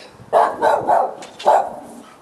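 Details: Dog barking at night, 18 July 2013: three quick, hoarse barks in a row, a short pause, then a fourth bark and the start of another, over a quiet background.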